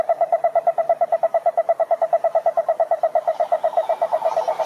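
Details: Sustained toad croak: a fast, even train of mid-pitched pulses repeating without pause for almost five seconds, slightly louder toward the end; male toads call this way to attract females.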